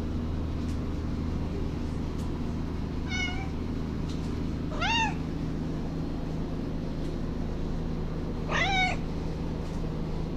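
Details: Ava, a young female house cat, meows while her owner cleans and rearranges the kitchen cabinets. Three drawn-out, rising-then-falling meows come several seconds apart over a steady low household hum.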